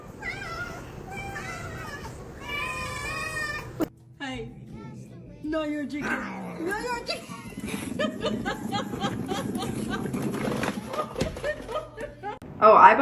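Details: Greedy pet cat after food indoors, giving a few drawn-out, wavering meows early on, then a rising-and-falling whine, mixed with people talking and household clatter throughout.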